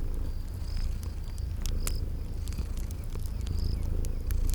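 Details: Sleeping kitties purring in a cozy spring garden ambience: a steady low rumbling purr, with sharp fire crackles and short high chirping tones from insects repeating above it.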